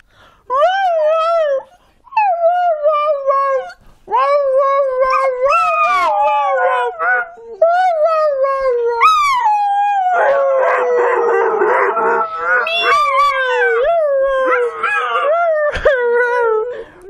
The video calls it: Dog' howling "" podenco '